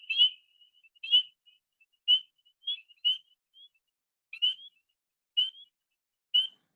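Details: A lone spring peeper, a tiny Vermont frog, gives clear, high, upslurred peeps, about one each second, showing how an individual makes its call.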